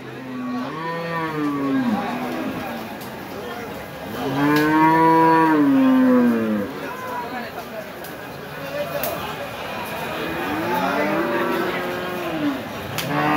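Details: Big red cattle at Hazratpur market, Keraniganj, Dhaka, Bangladesh, a weekly Saturday cattle and goat market. A long, rich harmonic moo swells and sinks in the middle, with shorter moos before and after and a man speaking.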